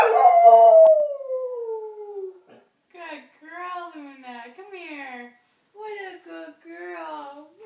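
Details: Mixed-breed German Shepherd Collie dog howling in reaction to the sound of wolves: one long loud howl sliding steadily downward, then a series of softer, wavering, rising-and-falling howls separated by short pauses.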